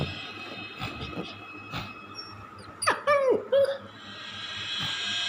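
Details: During morning play, a German Shepherd puppy seems confused by a weird sound. It gives a few short, high whines that slide down and level off, over steady electronic tones.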